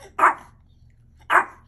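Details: Two clipped, high yaps from a hungry Mexican Chihuahua, spaced about a second apart, with a low steady hum underneath.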